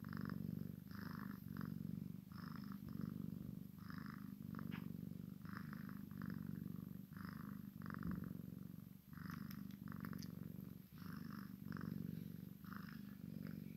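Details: Continuous low purring from a Maine Coon x Sphynx kitten at play with its mother, a rhythmic rumble pulsing with each breath and light rustling on top.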